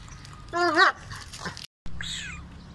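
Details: Kohati Gultair dog, a Pakistani bully-type breed: one short, wavering whine with stacked harmonics, then a brief break and a fainter, falling whimper over a low background hum.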